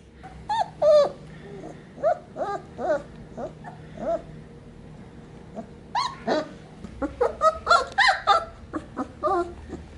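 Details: Young Sheepadoodle puppies penned together, three pups from two litters, recorded 7 May 2020. A string of thin, high whimpering yips, short and tonal, repeats irregularly over soft background shuffling, with a denser burst of squeaky cries near the end.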